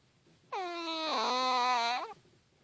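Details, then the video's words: A sleeping Chihuahua snoring indoors: one drawn-out, whistling, nasal tone about one and a half seconds long, dipping slightly in pitch midway, with a quiet room around it. "Chihuahua Snoring"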